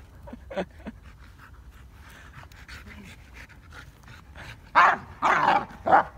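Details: Dogo Argentino during training, panting in quick rhythmic breaths through the first seconds, then several loud, harsh, broadband bursts near the end.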